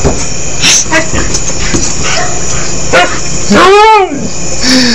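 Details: A pet dog, one of two in the household, trying to learn to say "I love you", gives a short moaning howl that rises and then falls. It follows scattered clicks and thumps, and a person's voice can be heard.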